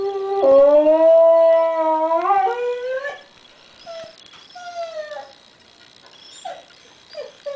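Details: Pet dog Diva howls on hearing the absent grandson Derek's voice from a computer, one long loud sustained howl that bends upward at its end, followed by quieter short whimpering yips.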